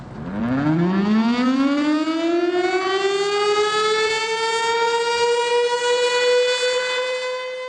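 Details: A mechanical siren winds up from a low growl to a steady high wail and holds it, with no animal sound present.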